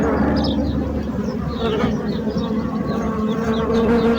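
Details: Bees buzzing in a steady, unbroken drone with a low hum and layered overtones, several wingbeat tones overlapping for the whole stretch with no pauses.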